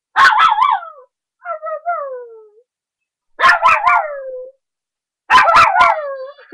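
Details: A playful 3½-month-old puppy barking up a storm: three bursts of sharp barks, each running straight into a drawn-out, wavering howl-like whine that slides downward, with brief pauses between bursts.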